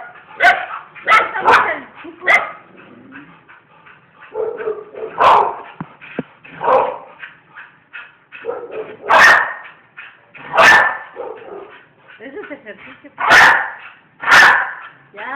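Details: Pet bull terriers, several dogs of the household, giving loud, harsh, explosive barks spaced a second or more apart, with softer whining and yelping sounds filling the intervals between the louder outbursts.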